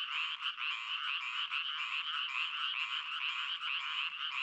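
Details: Crying frogs produce a short burst of insistent, pulsed croaking, individual rasping notes just discernible within the dense overlapping chorus, loud and even throughout.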